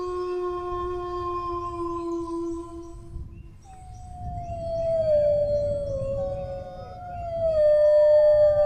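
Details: Dog howling: a steady, even tone holds for three seconds, then after a short break a new howl starts high and slides lower into wavering, overlapping pitches that swell louder toward the end, over a low rumbling background.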